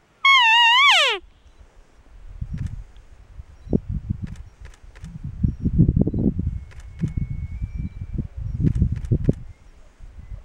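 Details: A big narrow bull elk bugles during the September rut, the bugle ending in a loud, high whistle sliding downward, followed by low grunts.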